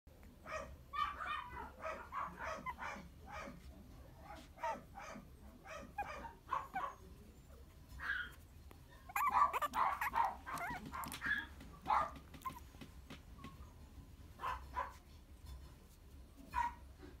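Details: Three Toy Poodle sibling puppies, born 2 October 2018 and filmed 3 November 2018, give a steady run of thin, high yips and whimpers, some overlapping one another.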